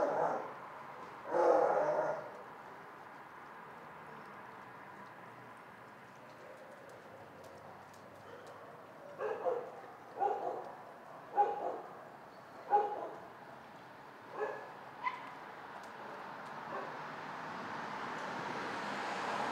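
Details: Dogs barking in a shelter: a loud bark near the start, then a cluster of short barks and yips between nine and fifteen seconds over a steady background hum.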